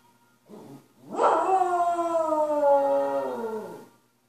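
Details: A Cocker Spaniel goes into a coyote-like howl, as it does whenever Hayley Westenra's "Quanta Qualia" plays: a long, drawn-out howl sliding slowly downward, with the music faint behind.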